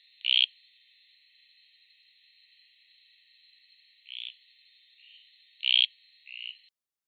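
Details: Anuran found in Costa Rica, frog calling with short, nasal, croaking notes: two loud bursts about five seconds apart, each followed by a softer, lower note, against a clean, quiet background.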